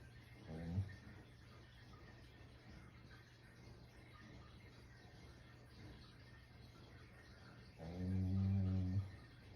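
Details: Sleeping Shiba Inu snoring heavily indoors: two low, droning snores with strong harmonic bands, one short near the start and a longer one about eight seconds in, quiet room hiss between.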